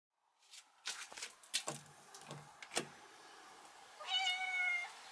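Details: Stray cat family of mother and two kittens settled at a house, in spring, around a hammock; scattered knocks and rustles, then one clear, drawn-out tonal meow with bright harmonics lasting under a second near the end.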